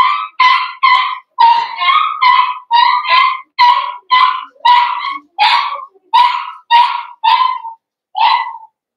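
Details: Cavalier King Charles Spaniel puppy from a blenheim litter of five, indoors in a puppy pen: steady series of about sixteen loud, sharp, tonal yelps, each short and slightly falling, spaced roughly half a second apart with brief pauses.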